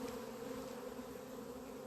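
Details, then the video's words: Mass of swarming honey bees recorded 28 April 2026 as scout bees located their queen inside the hive. Soft, unbroken hum of many wings, a clear low band with a brighter overtone above, steady in level throughout. "albinele mele au luat-o razna"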